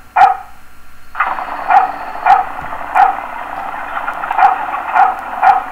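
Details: Dog barking in a recording that also holds a passing motorcycle: a steady engine drone underlies seven or eight sharp, short barks spaced roughly every half second to second.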